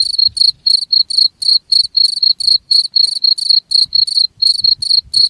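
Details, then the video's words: High, trilling cricket chirps repeating about four times a second in a regular beat, with faint low thumps and rustling in the background. Recording played to stop rats from approaching. "SUARA JANGKRIK UNTUK MENGUSIR TIKUS"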